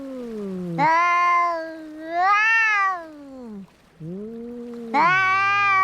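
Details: Domestic cats fighting: long harmonic yowls rise and fall, a low drawn-out moan answered by louder, higher wails, the voices overlapping and swelling in waves with a short pause near the end.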